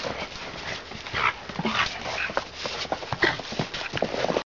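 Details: Two playing puppies, Annie, a service dog in training, and her sister, give brief high whimpering squeaks, around the middle and near the end, amid constant clattering of paws and claws scuffling on a hard floor.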